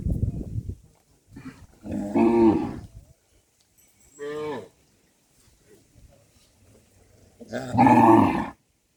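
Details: Cattle being herded back to the farm barn give three harmonic, drawn-out moos, one near the start lasting about a second, a shorter one midway, and a loud one near the end, with a brief low rumble at the start.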